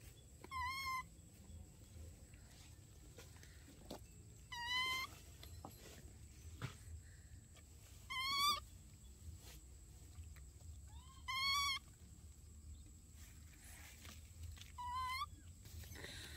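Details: Baby monkeys Dorn and Dum in daily life: five loud, wavering, high-pitched cries, each about half a second long, come every three to four seconds over a steady low background hum.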